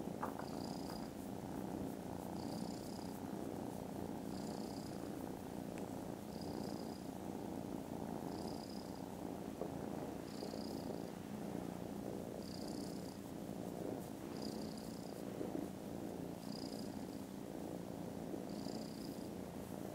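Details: Contented foster kittens snoozing after lunch on Friday 18th December, purring very loudly: a steady, low rumbling drone throughout, with a faint high chirping sound recurring about every two seconds above it.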